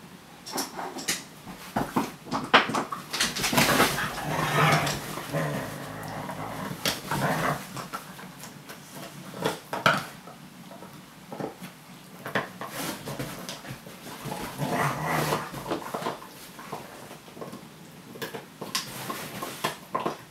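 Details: Several whining, warbling vocal outbursts from Laika, a Siberian Husky, come in uneven clusters across the recording, with short yelps and soft whimpers between them against faint room noise.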